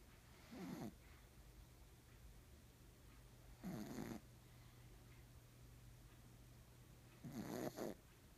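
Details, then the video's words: Loud snoring from Nimame, a black pug, at rest indoors: three short rasping snores spaced roughly three seconds apart, each a gravelly buzz, with a steady low hum and quiet between breaths. "黒パグ 煮豆 いびきがうるさい(笑)"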